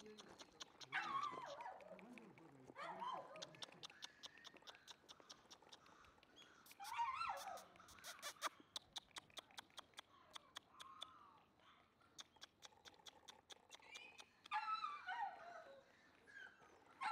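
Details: Black male Shiba Inu giving high, thin whimpers and whines that slide downward, coming in bursts every few seconds with quiet gaps, over a steady patter of sharp clicking or tapping sounds.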